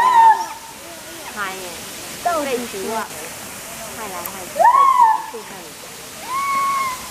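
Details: A white-handed gibbon gives loud, pure, swooping hoots, recorded 02/11/2021, with people chattering nearby.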